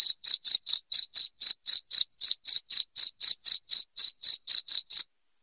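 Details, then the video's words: Cricket chirps, loud and clear: crisp high pulses in an even rhythm of roughly four per second, stopping just before the end, with no other sounds. "SUARA JANGKRIK NYARING"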